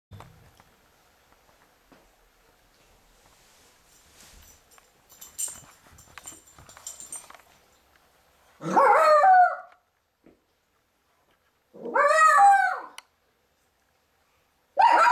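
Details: Cairn Terrier puppy battling an orange indoors, giving three loud, harmonic, yelping barks a few seconds apart, each rising then falling in pitch, after a stretch of faint scuffling and rustling.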